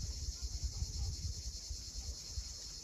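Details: Cicadas at sunset on the steep coast of Cape Fiolent, Crimea: a steady, dense high-pitched hiss that never breaks, with the low rumble and wash of sea waves underneath.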